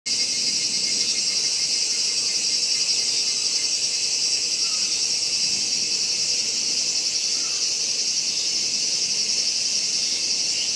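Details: A Kaempfer cicada sings a steady, high, hissing buzz, unbroken from start to finish, at Gongenyama Bird Sanctuary, Japan, on 11 August 2017, filmed alongside a horsefly.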